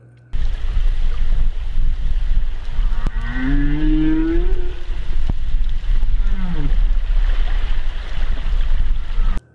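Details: A male humpback whale sings deep, long, drawn-out moaning notes that bend and slide over a low underwater rumble, recorded by hydrophones six nautical miles out at Los Cóbanos, Sonsonate; the song may serve to attract females or mark territory.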